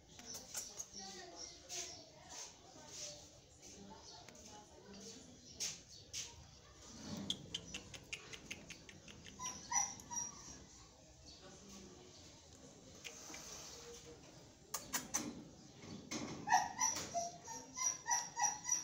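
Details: Belgian Malinois puppies, 23 days old, giving scattered short high whimpers amid sharp clicking and handling noises, with people talking softly nearby.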